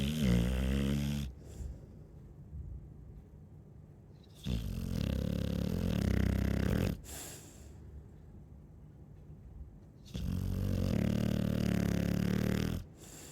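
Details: Chow Chow dog snoring: three long, low, rumbling snores about two to three seconds each, separated by quieter breathing pauses, with a steady buzzing vibration in each inhale.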